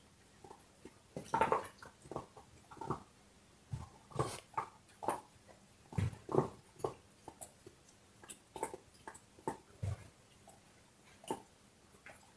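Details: A dog gnawing on a bone, soft irregular cracks and scraping crunches scattered through the recording, some bites louder and sharper, with a quiet background between them.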